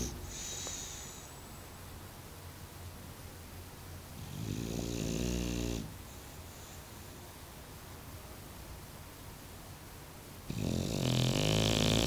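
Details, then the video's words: Bulldog Mario snores in deep sleep, with a rumbling, buzzy inhale near four seconds and a louder, harsher snore starting around ten seconds. Faint breathing fills the quiet stretches. "Funny Bulldog Snoring"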